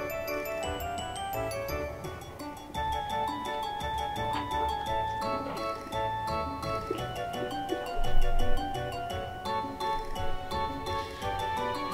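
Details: Gentle mallet-percussion music, glockenspiel and xylophone playing a lilting tune over a soft background, with no animal calls.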